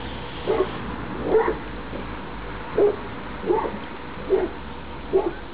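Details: Outdoor Labrador Retriever puppies, all littermates together on 28 October 2011 before the first leave for new homes; six sharp yipping barks, some with upward whining inflection, spaced irregularly under a second apart, over soft background hum.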